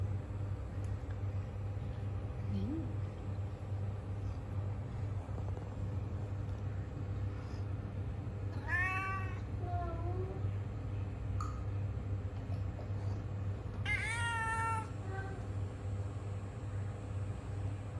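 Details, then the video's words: Two separated meows from a tom cat amid long quiet stretches and a constant low hum: a falling meow with a softer tail around nine seconds, then a higher, sharper meow near fourteen seconds. "Tom cat meowing and yawning"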